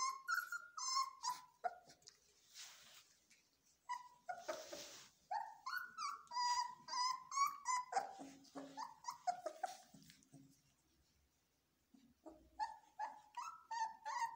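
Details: Belgian Malinois puppies in training give shrill, wavering whines and yelps nearly without pause, mixed with a few broad noisy rasps early on, before a brief lull and more high cries.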